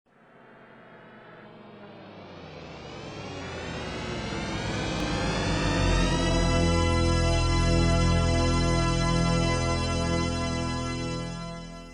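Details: A swelling ambient music passage with a deep droning bass and rising tones, and no animal calls. The sound builds steadily in loudness and then holds a dense, sustained texture.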